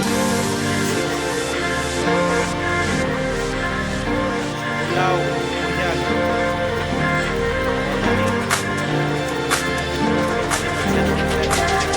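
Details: Loud electronic dance music with a thumping beat and some voices fills the whole stretch, with no audible animal calls.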